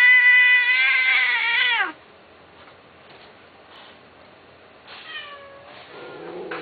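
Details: A kitten's loud, sustained, high meow holds steady for nearly two seconds before dropping sharply at the end. After a quiet pause, shorter falling mews and a lower whining cry follow.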